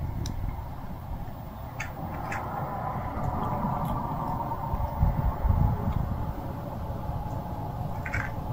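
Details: Hungry stray cat giving a few short, high meows, scattered across the recording with gaps between them, over a steady low rumbling background noise.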